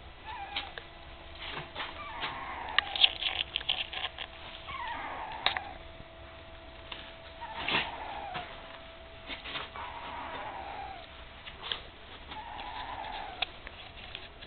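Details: Puppies almost three weeks old with their mother Candy, eyes just opened and starting to walk with a wobble: thin, high whimpering squeals, short and wavering, recurring every two to three seconds over a steady low hum with scattered clicks.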